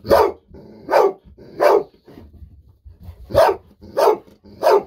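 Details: Golden Retriever indoors barking with excitement at an upcoming fish-sausage treat, part of nearly ten minutes of continuous barking; six loud, harsh barks in about five seconds, in two sets of three separated by a brief pause, with faint low room noise between.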